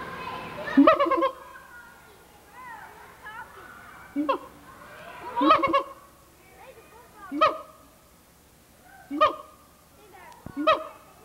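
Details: Siamang gibbon at the Memphis Zoo in 1990, calling noisily on an old VHS recording; loud harmonic barking whoops burst out about every one to two seconds, with softer sliding hoots between them.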